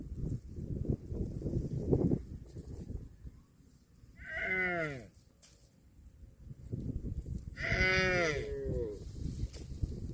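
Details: Cows eating grass give two drawn-out, harmonic moos, one near the middle and one toward the end, each bending downward in pitch, over steady munching and rustling grass noise.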